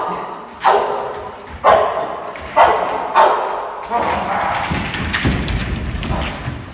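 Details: Reggi, a six-month-old Boxer in protection training, gives four sharp, separate barks about a second apart. A rougher stretch of muffled thuds and scuffling noise follows.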